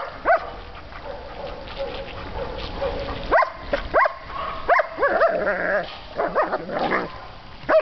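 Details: German Shepherd puppy while swimming: sharp rising-and-falling whines and yelps, some in quick pairs, scattered through the clip over a noisy, splashing background.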